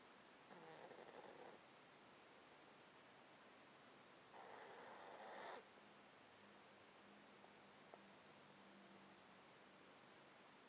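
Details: Male domestic cat asleep in a box, snotty from a long-term underlying disease, recorded with a close-up mic: two rough, hissing breaths several seconds apart over a faint steady low hum.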